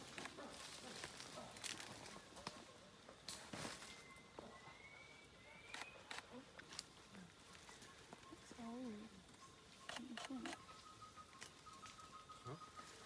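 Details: Wild chimpanzees tracked in Uganda, calling from the trees and the ground: a few scattered wavering hoots, one wobbling call standing out midway, amid crackling footsteps and snapping twigs, with rising bird whistles and a steady insect hum behind.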